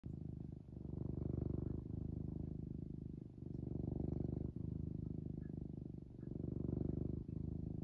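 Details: A domestic cat purring up close: a low, rumbling, continuous purr in long pulses of about one to two seconds, each breath in and out marked by brief dips, with no other sounds.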